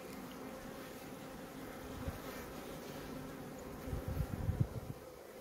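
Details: Honey bees at a hive in Maine-et-Loire, France, give a steady low droning hum with a faint higher overtone. A few soft knocks and rustles break in near the end.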